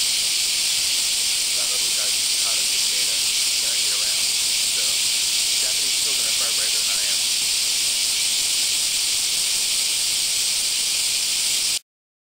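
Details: Japanese cicadas (semi) in the Kansai area of Japan on a hot July–August summer morning: a dense, continuous hissing buzz holds steady throughout, with faint human speech underneath, then ends abruptly.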